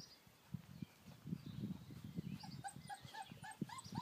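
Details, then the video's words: American Akita puppies playing in their garden enclosure on a fine day outdoors. Low, soft grunting scuffles come first, then a run of short, bending high whimpers and yips with ringing overtones grows more frequent toward the end. "Spielen im Garten - Amerikanische Akita Welpen"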